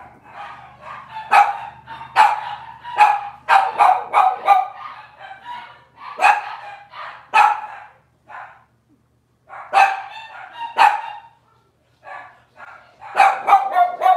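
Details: Robin's litter of Cavalier King Charles Spaniel puppies on a Wednesday kitchen-cam stream: long bursts of rapid, excited yappy barking with short pauses, clusters of several barks in quick succession.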